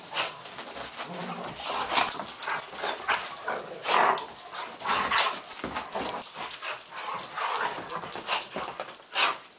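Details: Poodle play fight after stalking: dense, noisy growling bursts and brief whimpering yips arrive in uneven pulses about every second, mixed with scrabbling, rustling and a few faint human voice sounds.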